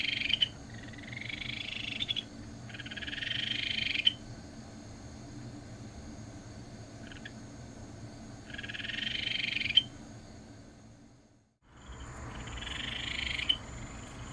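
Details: Ryukyu Kajika frog, a tree frog of the Tokara Islands, Amami and Okinawa, here as repeated rising trilled calls about 1.5 seconds long, each ending in a sharp click, separated by pauses, with a steady low hum beneath.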